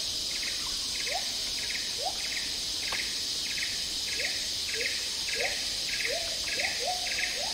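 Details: In Malaysian tropical rainforest, agile gibbons sing short rising whoops in quickening succession over a loud, steady insect chorus.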